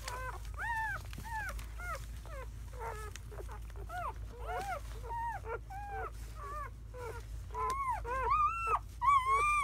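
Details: Newborn German Shepherd puppies, a litter of seven (four boys, three girls) born May 7–8, 2017, in their first hours; rapid series of arched, squeaky squeals and yelps about twice a second, growing louder and higher toward the end, over a low hum.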